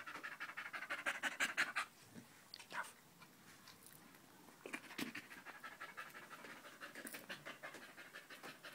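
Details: Danco the dog, staying close at someone's leg on 5 August 2013, pants in a quick burst for about two seconds, then breathes in softer, scattered puffs with brief knocks in between.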